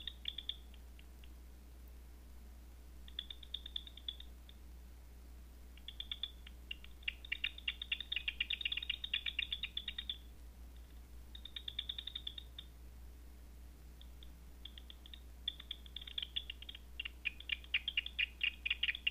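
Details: Bats at night, picked up on a Batseeker 4 bat detector: bursts of rapid dry ticking pulses come in clusters, densest between seven and ten seconds and again near the end, separated by quiet gaps over a steady low electrical hum.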